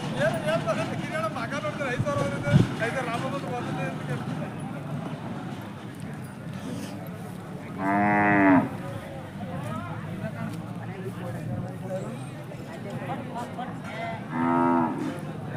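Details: Hallikar cattle at Jodugatte cattle market, India; a strong harmonic moo lasting under a second near the eight-second mark, then a shorter, fainter low moo near fourteen seconds, over an undercurrent of people talking.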